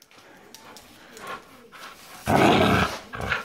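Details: An American Staffordshire Terrier named Turbo makes soft, low rumbling noises, then one loud, rough, broad growling bark burst lasting about half a second, followed by a shorter rasping sound.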